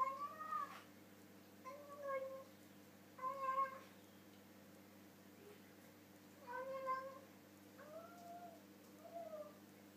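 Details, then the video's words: Pet cat Harley talks through his dinner, mouth full of food: a run of short wavering meows and murmurs, about one every two seconds, some rising then dropping, against a constant low room hum. "Talking Cat Loving His Food"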